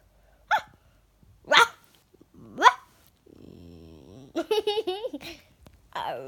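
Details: Pet Yorkshire Terrier, a female, in a small room answering a child: three sharp separate barks about a second apart, then a low rumbling growl and a string of wavering whiny yelps.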